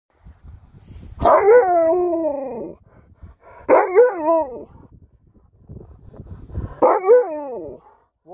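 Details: Sherpa, an Alaskan Malamute, answers back after being called a diva: three drawn-out, rich harmonic woo-woo vocalizations, each about a second and a half long, arching up then sliding down, spaced roughly three seconds apart, with quiet background between.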